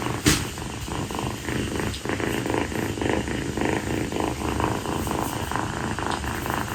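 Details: Close, loud purring from Kii, a rescued female calico kitten lounging on a person's feet on a sweltering night after play; deep rumbling vibration with a muffled thump at the start and soft rustling.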